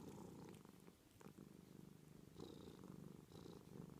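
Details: Domestic cat purring low and continuous, with a few soft clicks early on and two brief higher breathy tones later in the short stretch.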